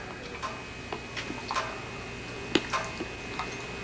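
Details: Sparse ticking and tapping clicks over a quiet room hum, with no animal voice.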